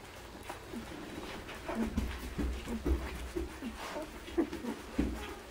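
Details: Irish Setter puppies, nine days old, feeding in October 2016 at Soldier Mountain; short low cooing grunts and squeaks come in quick uneven succession, with a person speaking softly.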